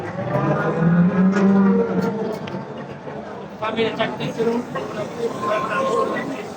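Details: Bulls of about one ton at the Sho'ro livestock market: a low, drawn-out moo lasting about a second rises above busy market chatter, music and general crowd noise.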